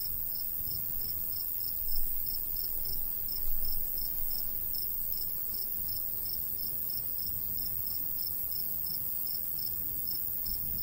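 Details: Crickets chirping in a summertime wheat-field countryside, a dense, unbroken row of high pulses, with low breeze noise and two brief soft swells of sound near the start.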